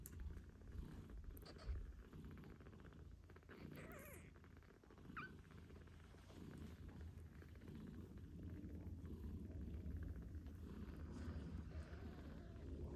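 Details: Loud continuous purring from a British Shorthair mother cat nursing kittens eight days old, a steady low rumble for the whole stretch with a few faint high kitten squeaks early on, no music.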